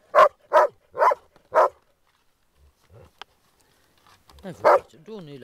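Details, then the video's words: Groenendaels guarding a resource while playing bark four times in rapid succession, then fall quiet. A French-speaking voice follows near the end, with one last bark. "dog resource guarding play groenendaels"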